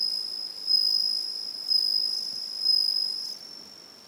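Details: A Japanese bell cricket (suzumushi) in 2013 rings out a pure, high, bell-like trill that swells about once a second; these crickets sing every evening, and another one calls from a different spot.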